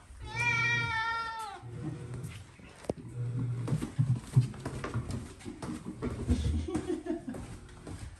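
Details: Domestic cat outdoors on a walk gives a single clear, drawn-out meow lasting about a second, followed by rustling, footsteps and handling noises with no further calls.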